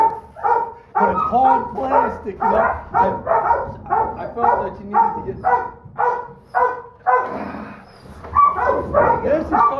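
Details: Holdback Donovan Pinscher female pup, smallest in her litter, yaps in a steady series of short, high barks nearly twice a second, with a human voice talking quietly beneath and a short lull near the end.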